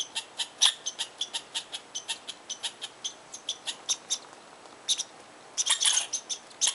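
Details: Angry squirrel in Tahosa Valley scolding from its tree at a person standing too close, loudly voicing disapproval: sharp, bright chips repeated about three to four times a second in a steady rhythm, then a denser, louder burst near the end.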